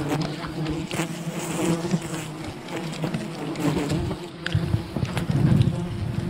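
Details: Wild bees of a colony disturbed during honey hunting, a dense low droning buzz with steady hum bands, loudness swelling toward the end, mixed with scattered clicks and knocks from the harvesting.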